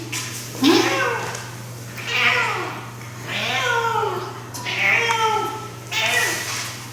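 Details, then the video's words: Seven-year-old rescue cat, male, indoors with his toy, making the unusual sound he only makes with this toy; drawn-out, bending meows about every two seconds, some rising then falling, with a woman's voice and a low hum. "Our cat makes a strange noise with his toys"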